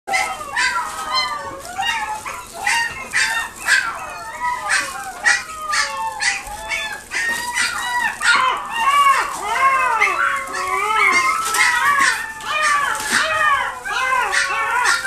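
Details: Maltese x Dachshund puppies at a pet shop in Nagoya, Japan, giving a dense chorus of high, overlapping whining yelps and squeaky yips, many arching up and down, continuing without pause throughout.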